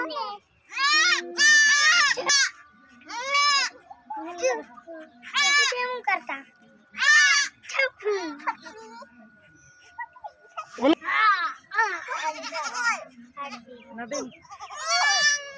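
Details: Four baby goats bleating repeatedly: short, high, quavering cries roughly every second for the first eight seconds, then a quieter stretch with a steady faint tone, followed by more scattered bleats.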